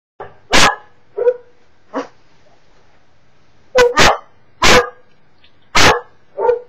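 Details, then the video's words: Pet Cocker Spaniel barking at videos playing on a computer screen, recorded with a webcam: sharp loud barks in irregular bursts, some doubled, with softer huffing yelps between them. "Cocker Spaniel Emmy bellt nach you tube videos"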